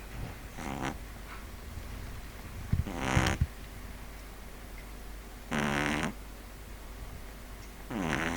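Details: Snoring pug Neil asleep indoors, four buzzy, vibrating snore bursts spaced roughly every two to three seconds, each rasping breath lasting about half a second.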